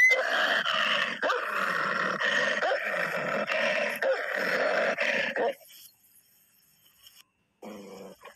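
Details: Tibetan Mastiff fighting a wolf: harsh, rasping snarls and growls pulse in rapid bursts for about five and a half seconds, then fall to near silence before one short final growl.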